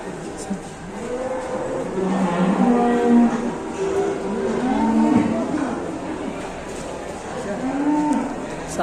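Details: Ploughing cattle in Indonesia acting up during the seventh round of work; a series of loud, harmonic moos bends up and down in pitch, roughly four lowing calls across several seconds, over a steady noisy background.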